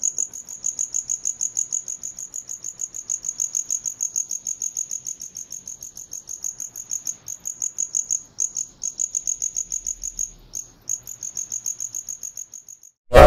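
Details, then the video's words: Cricket chirping in clear, evenly spaced high pulses, several chirps each second over near silence, with brief breaks near the end and a sudden loud click at the close. "CRICKET SOUND - CRICKET SOUND EFFECT - NOISE OF CRICKET - animal sound"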